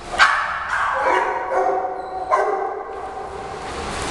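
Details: Shih Tzu Heidi defending newcomer Frida from the pack, dogs barking at each other in play-fighting; a few short yipping barks with harmonic tones, then quieter background.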